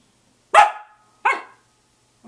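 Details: Samoyed barking at 6:00 a.m.: two sharp, loud barks about three quarters of a second apart, each fading quickly, with a third bark just beginning at the end.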